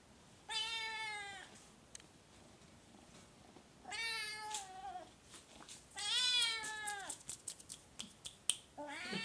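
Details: Oriental or Siamese cat indoors giving long, loud, drawn-out meows with rich stacked harmonics, three calls each about a second long, spaced roughly two seconds apart, followed by clicks and a short final meow.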